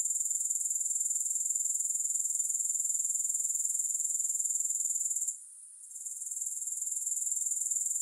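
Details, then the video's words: High, sizzling grasshopper trill pulsing quickly and steadily, interrupted by a short lull a little after five seconds before returning at full strength. "Grass Hopper Sounds"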